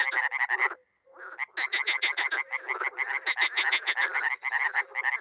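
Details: Frogs and toads in a spring chorus at a small pond in Miroslovesti, NE Romania, dozens calling: fast harsh croaks repeated several times a second, a brief near-silent break, then the overlapping rattle resumes with soft low hoots underneath.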